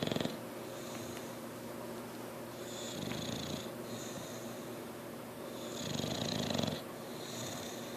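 An English Bulldog snores loudly, with rough, rattling breaths rising and falling every couple of seconds.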